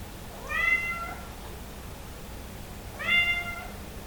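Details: Somali cat indoors, hungry and wanting into the living room, gives two clear tonal meows about two and a half seconds apart, each a harmonic-rich, slightly rising then falling cry, over a quiet room hum.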